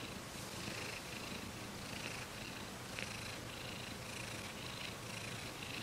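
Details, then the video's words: Domestic cat purring: a steady low rumble with rhythmic pulses and faint breathy bands near the upper range, continuous and even in loudness, no other clear sounds. "ごろごろしろ Cat purr"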